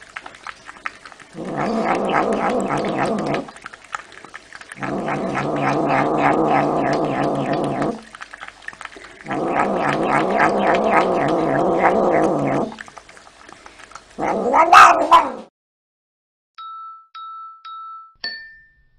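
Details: A domestic cat gives long, low, growling yowls in three sustained bouts of about two to three seconds each, separated by short pauses. A sharp squeal follows, then a few short electronic beeps.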